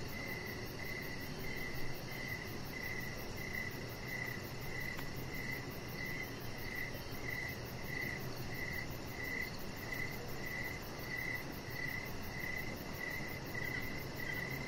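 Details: Evening crickets near a deck with a chihuahua puppy resting, a continuous run of brief high chirps spaced evenly about every half second, with a broad low rumble underneath.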